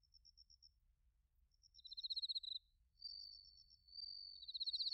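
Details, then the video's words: High autumn insect chorus from Narita in Chiba, Japan, where bell crickets and crickets were recorded on a TASCAM Portacapture X8: soft dotted chirps, a fast pulsed burst, then drawn-out bright trills. "秋の音 スズムシとコオロギの鳴き声 - Sounds of autumn, chirping of crickets and crickets"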